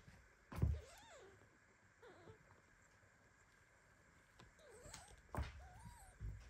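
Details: Kitten squeaking indignantly as mother cat Basi lies down on him during sleep; a few thin arched meows between loud bumps and thuds of movement.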